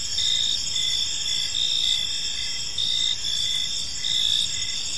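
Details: Park crickets at dusk: shrill, continuous trilling from several insects, punctuated by short louder chirp bursts at uneven intervals, calm with no other sounds.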